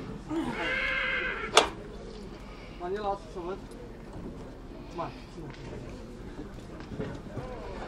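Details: Mare from Satu Mare gives one loud tremulous whinny in the first second and a half, followed by a sharp knock, then scattered voices of people talking nearby.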